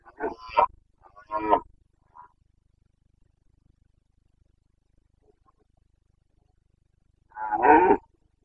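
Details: Rutting Carpathian stag roaring in Bucovina's mountain forests in the breeding season, late September 2022: two quick gruff bellows, a faint grunt, then after a long pause one more loud, rough roar.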